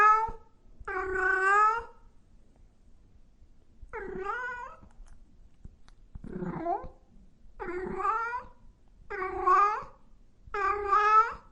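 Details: Cats and kittens meowing loudly: seven meows in an uneven series, some wavering and plaintive, one lower and rougher near the middle, ending with quicker cries close together.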